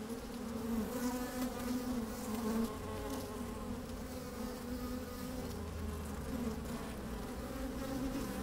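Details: Working honey bees in an opened hive, sunny day with some wind: dense buzzing hum with clear harmonic bands, a louder surge of buzzing near the three-second mark, then a steady drone with low wind rumble.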